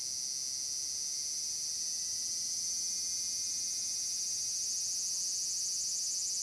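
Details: Tanegashima large brown cicada, Furuta Magarikawa in Nishinoomote, summer day of 30 July 2022: loud piercing sizzle holding steady, then taking on a rhythmic throbbing pulse in its last seconds, set against natural outdoor sound.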